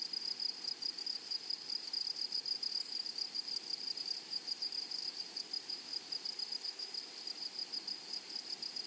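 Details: Grasshoppers calling in a meadow full of flowers: a bright, shrill sustained buzz broken into fast regular pulses, roughly three or four per second, with fine ticking high above, steady throughout.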